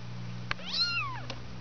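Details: Two-week-old kitten from a litter of five, indoors, giving a single short meow that swoops up and falls away, bracketed by two faint clicks over a steady low electrical hum.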